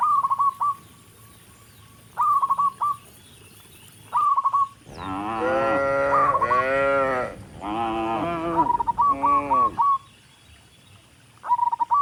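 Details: Dozens of tame cattle walk up a rural road toward the barn, mooing to call other cattle; after a stretch of repeated short chirps, several deep, drawn-out moos overlap in the middle, then the chirping resumes.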